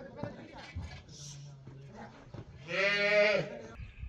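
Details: Young female calf in bullfighting training at a private bullfighting school's ranch lets out one short, strained, harmonic moo near the end, after quiet handling noises and murmured words from people nearby.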